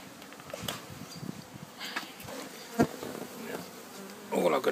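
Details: Bee swarm sitting calmly in a box while being removed: a soft droning buzz broken by taps and knocks, then a louder rustling burst at the end.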